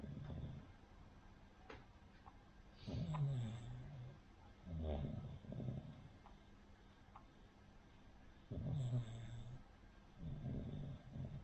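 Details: Rin, a sleeping Cavalier King Charles Spaniel, snores with a pug- or bulldog-like sound typical of a flat-nosed breed. Deep, rattling, low snores come in roughly every two to three seconds, alternating with softer breaths, in a quiet room.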